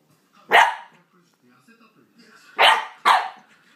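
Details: A Corgi puppy at solo play barks sharply once, pauses nearly two seconds with faint whines and rustling, then fires two more quick high barks close together.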